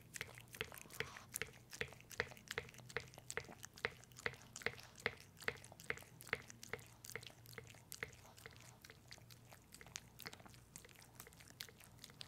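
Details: Pepe, a pet dog, eating peanut butter indoors in a small room: close, rhythmic wet licking and smacking clicks, about two and a half per second, steady throughout with a low hum beneath.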